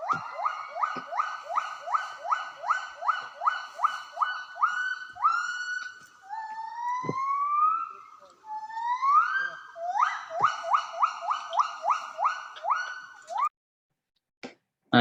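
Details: Javan gibbons in a cold forest give a rapid series of rising whooping notes broken by longer swooping wails, calling during a conflict as group A met group B at their border.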